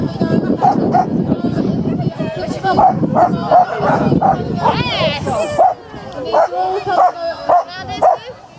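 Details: Japanese Spitz at the annual Spitz in the Park agility event between Tewkesbury and Evesham, July 2015: short sharp barks repeated roughly every half second, with human voices and crowd chatter in the background.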